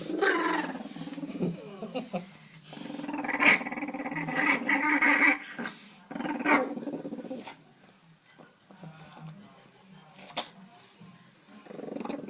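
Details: Small dog making funny vocal sounds while being dried off after a wash indoors; harmonic whining and growly grumbles come in bursts over the first seven seconds, then quieter broken noises with faint human voices.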